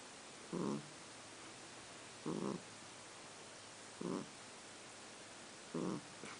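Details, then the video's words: Sleeping male kitten snoring after being woken, his snores changed slightly in length and tone; four short, breathy, rasping snores come about every 1.7 seconds with quiet gaps between, in a small indoor room. "Snoring Kitten"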